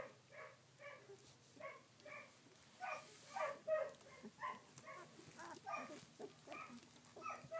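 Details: Thin, repeated squeaking cries from collie pups aged sixteen days, filmed 3 June 2013; brief harmonic yelps come roughly every half second with a low hum underneath.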